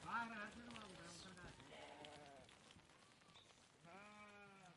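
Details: Flock of sheep passing by at a distance, quiet wavering bleats at the start, softer ones in the middle, and a clear drawn-out bleat at the end over faint background rustle.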